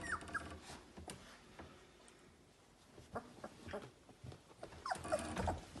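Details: Labrador Retriever puppies from a breeder's litter, seventeen days old: faint high squeaky whimpers at the start and again near the end, amid rustling, bumps and shuffling movement.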